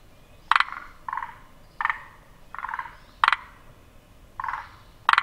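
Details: A forest green tree frog (Zhangixalus arboreus) calls in short, rattling croaks, each paired with a sharp click, repeated steadily, throat pulsing three times per call.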